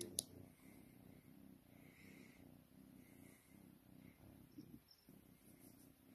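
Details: Domestic cat purring while being cuddled indoors, a soft, steady, low rumble pulsing in an even rhythm throughout, with a sharp click near the start and a quiet room behind.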